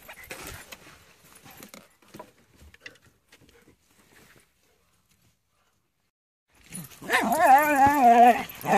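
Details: Dog on a walk at Comox Lake with Rory, Floyd, Keira and Kijodi: near silence with faint scattered clicks and rustles, then a loud wavering whine in the final two seconds, rising and falling in pitch with rich harmonics.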